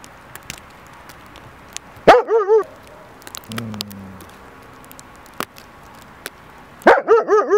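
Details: A dog yaps in two short bursts of three wavering, high-pitched barks, separated by a stretch of background noise with clicks and a brief low rumble.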